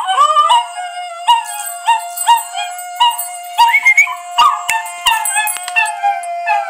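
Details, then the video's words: Puppies reacting to singing. Short, downward-sliding howls and whines come roughly every half second to second, with one higher upward-bending howl midway, all over a steady sustained tone. "Dogs reaction to markiplier singing with puppies"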